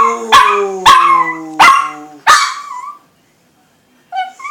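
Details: A female Chihuahua "sings", giving a run of high, quavering howls, each starting sharply and sliding gently downward.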